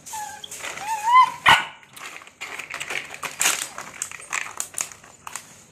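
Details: Red female Belgian Malinois dogs from a group: thin, high whines that rise and bend in pitch, several packed into the first second and a half, followed by clattering, rustling handling noise and scattered clicks.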